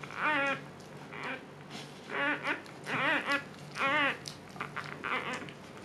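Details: Siberian Husky named Luna in labor, giving birth for the second time and calmer than her first. About five short, high whining cries with arching, wavering pitch, some in quick pairs, over a steady low indoor hum.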